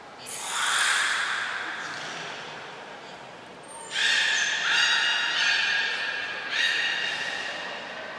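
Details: Beluga at Port of Nagoya Public Aquarium during a brief training session on 25 July 2021. A descending squeal opens, then a string of strong, buzzy, harmonic calls in three or four pulses follows, each a second or two long, in a reverberant indoor space.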